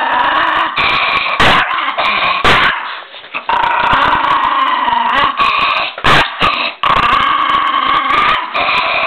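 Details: Miniature pinscher described as ferocious: a dense, harsh, snarling growl held for long stretches, broken by sharp sudden bursts that sound like snaps or yips, loud and close throughout.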